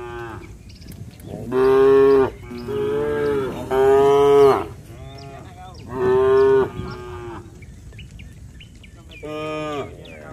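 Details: Herd of tame cattle strolling along a rural road, heading home to the shed with their herder; a series of loud, harmonic moos, several in quick succession then spaced out, with faint bird chirps between calls.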